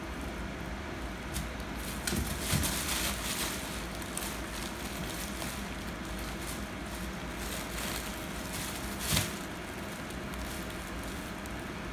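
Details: Continuous broadband rumble like passing traffic, with a few soft crackles and knocks, and no animal calls.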